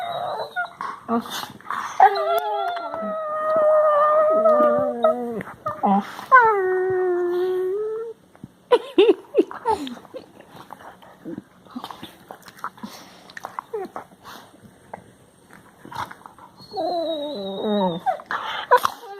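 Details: Labrador Retriever puppies making funny noises, recorded March 16, 2020: drawn-out wavering howls and whines with rich harmonics, sliding pitch, interspersed with short yelps, snuffles and human speech.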